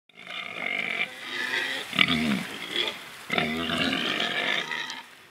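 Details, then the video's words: Free-range Gloucestershire Old Spots pig, the Orchard Pig breed, rooting in mud in a large open area with trees. Nasal grunting runs throughout, with two louder, tonal squealing grunts breaking in about a second apart. "MASSIVE Piggy Rooting in Mud Grunting"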